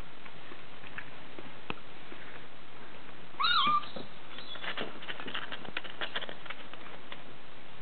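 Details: Bengal kitten DeeDee, aged six weeks and born 13 January 2014, lets out one clear wavering mew, rising then dipping, followed by a few seconds of scratching and rustling movement.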